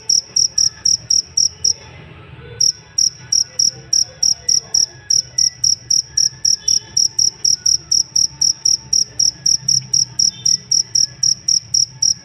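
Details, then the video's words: High, ringing chirps of a cricket used as songbird master sound, rapid regular pulses near four per second, with one brief pause early before the train resumes steadily; soft low rumble underneath. "Benar benar merdu ngerik nya sang masteran burung kicau"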